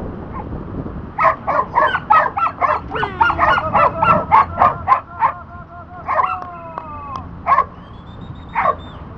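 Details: Border Collie during disc dog training, working on the back vault, gives a rapid series of sharp, excited yips and barks, about three or four per second, mixed with whining tones and a squeaky toy-like whistle near the end.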